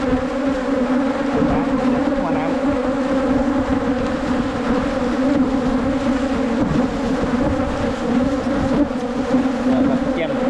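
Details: Asian honey bee colony found while hunting wild bees for honey in 2022, giving an unbroken, even droning buzz of many insects, a low hum with stacked overtones holding steady throughout.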